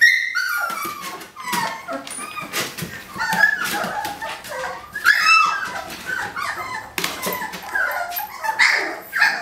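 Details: Eighteen-day-old puppies, described as huge and rambunctious, try to climb out of a kiddie pool; a chorus of high, wavering whimpers and short yips overlaps almost continuously, with scratching between cries.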